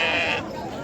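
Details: Sheep bleating at the Saturday sheep market in Macherla, Palnadu region; a short, strained nasal bleat lasting under half a second, followed by background crowd murmur.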